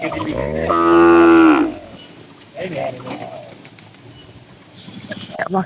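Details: Tame cattle in a crowded farm barn with dozens of cows: one long loud harmonic moo of about a second, followed by quieter low grunts and rustling, with faint human speech.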